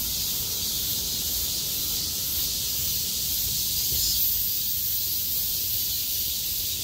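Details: Cicadas surviving heavy rain sing in chorus on 6 August 2020 as the rain stops and the sky clears, a dense steady high hiss-like drone filling the upper range without pause.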